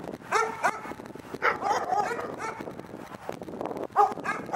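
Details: Fainter dog barks and whiny yelps in scattered bursts over a noisier background, with one sharper bark close to the end.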